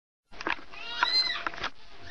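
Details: Mother cat giving a short, wavering meow overlapped by rustling and clicking sounds, the voice arching up and down over about a second.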